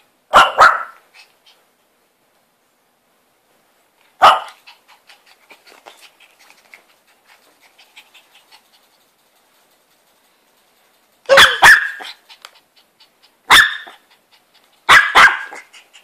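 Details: Bubbly, a Shih Tzu puppy begging indoors for Pedigree Dentastix treats, gives short sharp barks, singly and in doubled bursts, with long quiet gaps between them and faint scuffling or panting in the pauses.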